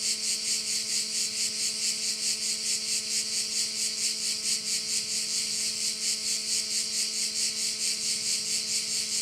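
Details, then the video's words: Crickets at a bay on Korčula make a dense, high, shimmering buzz that pulses in steady waves about twice a second throughout, with a faint steady low hum underneath. "view of one of the bays in Korcula with sounds of crickets"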